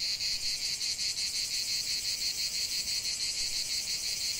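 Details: Chorus of cicadas in a lavender field, a loud, unbroken shrill buzz throbbing in quick regular pulses roughly three times a second throughout.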